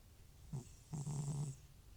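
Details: Butcher, an elderly FIV-positive cat with recurring runny nose and sneezing, snores loudly while asleep: a short rasping breath, then a longer rattling, buzzy snore of about half a second, low and throaty, in a quiet room.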